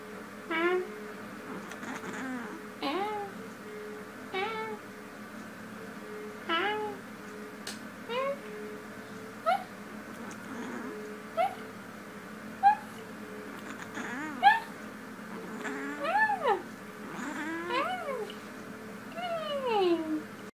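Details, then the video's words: A female cat talking in her sleep indoors: soft, scattered chirping murmurs, short rising and falling squeaks every couple of seconds, growing busier toward the end over a steady low background hum. "Cat Talking In Her Sleep"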